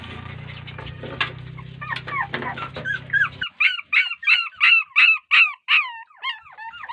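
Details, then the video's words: Crying puppies left unattended by their mother dog. Muffled noisy cries open the clip; the second half brings clear, loud, downward-curving squeals repeated about twice a second. "A Heart Breaking Reaction Of A Puppy When Mother Dog Ignored Them || Crying Puppies"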